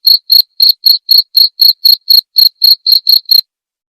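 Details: Clean cricket chirping meant for tutoring white-rumped shamas: about a dozen crisp, high-pitched pulses at roughly four per second, then silence for the final half second.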